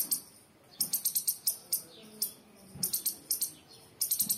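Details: Squirrel. A squirrel chirps in thin, high, clicking notes that come in rapid clusters, each run lasting under a second. The bursts repeat irregularly with brief silences between them, and there is little other sound.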